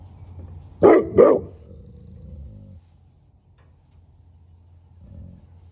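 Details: Great Pyrenees livestock guardian dog at a Knoxville, Tennessee farm alerting to something outside, giving two quick deep barks in succession, then a fading low rumble and quiet surroundings.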